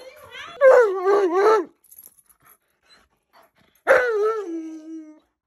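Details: A very loud Alaskan Malamute gives a wavering, warbling vocal run of several rising and falling notes, then after a quiet pause a sharp yowl that slides down into a long, steady, lower whine.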